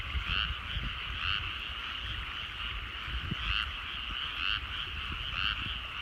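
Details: Evening rice-field frogs at sunset in rural countryside: a continuous trilling chorus, with louder pulsed croaks standing out about once a second and a low rumble underneath.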